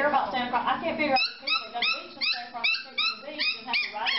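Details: Corgi giving a rapid run of high, squeaky whining yips, each a short rising-then-falling squeal, about four per second, after a moment of human talk at the start.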